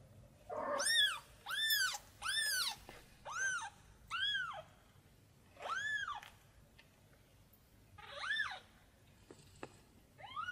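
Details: Tiny kitten searching for its mother cat, crying in a rapid series of bright, arching meows, five close together at first, then slower, more spaced calls with a sharp click between.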